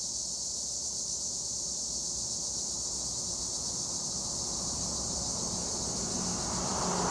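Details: Tree crickets (Acheta assimilis) in Turkish olive trees at Edremit give a constant high, sizzling drone, while a growing low-pitched engine-like rumble builds up over the last seconds.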